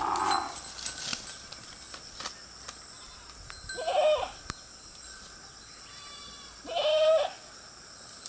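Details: A herd of goats grazing beside a road; two clear, wavering mid-pitched bleats about three seconds apart, each roughly half a second long, with a fainter bleat at the start, over steady background hiss and scattered clicks.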